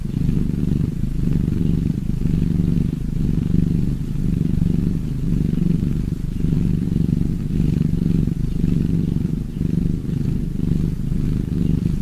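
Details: Purring cats in a relaxing recording: a deep, steady, low rumble that runs without a break, with a gentle pulsing texture and no other sounds clearly heard.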